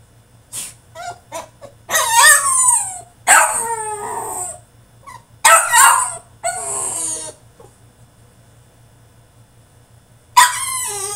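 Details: French Bulldog, a male, protesting in his cage with a tantrum: a few short sharp yips, then long wavering whines and howl-like cries that rise and fall, a quiet pause of several seconds, and a final shrill whine breaking out.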